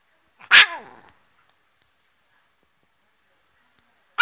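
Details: Chihuahua giving one loud, sharp bark with a short ringing tail that dies quickly, followed by silence and the start of another bark at the very end.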